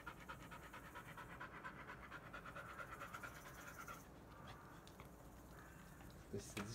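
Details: Bee-chan, a black Labrador Retriever in shedding season, pants on a hot day while being brushed to remove loose undercoat: quick rhythmic breaths about five per second for four seconds, with a person talking over it, then quieter.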